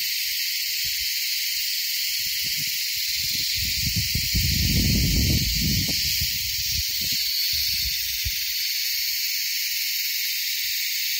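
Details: On the Kaas Plateau, India, beetles give a mating call: a loud, unbroken, high-pitched insect hiss that fills the air, loud enough to hurt listeners' ears.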